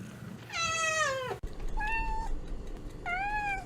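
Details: Pet cat producing a long, loud meow that slides downward at its end, followed by two shorter, softer, level meows about a second apart, with low background rumble.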